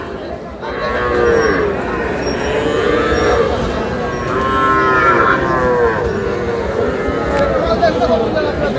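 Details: Sahiwal calf offered for sale, giving a run of drawn-out, wavering moos one after another about every one to two seconds, each low and moaning with a bent rise and fall, over faint background murmur.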